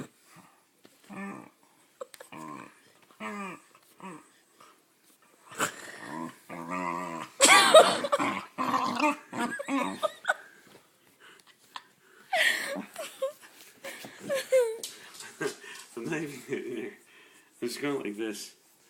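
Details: Indoor rough play with a part-pit dog that enjoys roughhousing: short harmonic whines and yelps, rising into loud rasping growls around seven to ten seconds, then choppy grumbling bursts and squeals.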